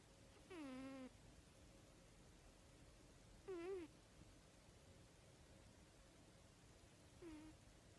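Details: Snoring cat; three quiet, short tonal wheezes with a faint wavering pitch, about three seconds apart in time with slow breathing, against a soft hiss.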